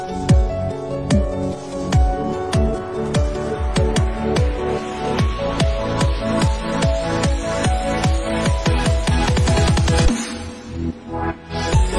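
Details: Loud electronic dance music with punchy repeated beats and a brief drop near the end, without any animal sound.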